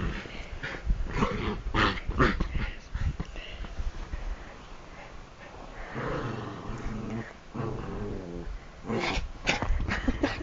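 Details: Excited Bichon Frise at bedtime, bouncing and attacking hands and feet, gives low, drawn-out, rasping growls mixed with scuffling and bedding noise and a person's voice.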